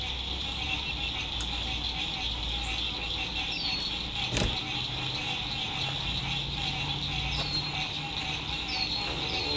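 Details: Lakeside frogs singing at sunset in spring 2021 at an RV campsite: an unbroken high buzzing trill with a lower throbbing band. Passing road traffic hums underneath, with one sharp click and occasional falling bird whistles.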